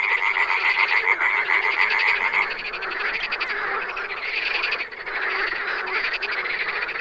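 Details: Wild frogs in a dense chorus, rapid overlapping pulsed croaks running continuously, with a steady whistled tone through the first two seconds and no other sounds clear.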